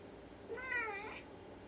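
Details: Ragdoll cat indoors in the morning, meowing to ask its owner to open a storeroom door. One soft, drawn-out meow rises and then falls over about half a second in a quiet room.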